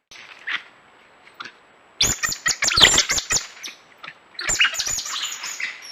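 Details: Coati giving a dense flurry of shrill, high-pitched chirps and squeaks mixed with sharp clicks, starting abruptly after near silence, then faint chirps and a final rougher, noisier burst.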